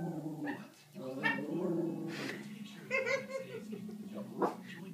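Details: A West Highland White Terrier barks at animals, including a cat, on TV, giving short, sharp barks and whiny yelps, with people talking nearby.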